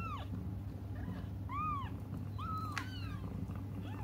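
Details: Waiting for their mother, young cats cry in a run of overlapping arched mews, several per second, some sliding downward, with a low steady hum underneath.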